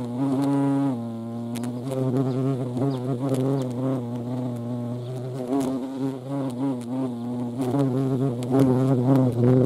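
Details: Buzzing European hornet (Vespa crabro) at a feeding place, a low continuous hum with strong overtones, wavering slightly in pitch and loudness throughout.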